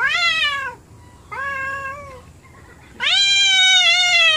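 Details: Angry domestic cats indoors, two of them not getting along; three loud, harmonically rich yowls, each held for about a second, the last one longest and strongest.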